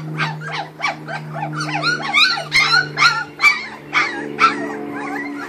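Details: Raw-fed Kuvasz puppies, 2013 litter, at mealtime: rapid series of short high yelps and squealing whines, about two per second, some bending upward, above a constant low electrical hum.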